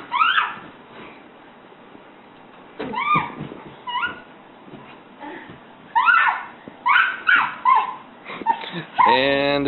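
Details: Great Dane indoors, giving short high yips and whines with rising-falling harmonic shapes, in scattered bursts that cluster toward the end, mixed with a person talking to the dog.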